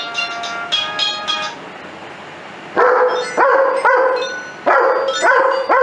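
A German Shepherd howls along to music in short, rising, wavering bursts.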